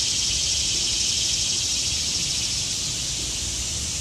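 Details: Cicadas in the trees in autumn sing a steady, high, hissing drone that never pauses.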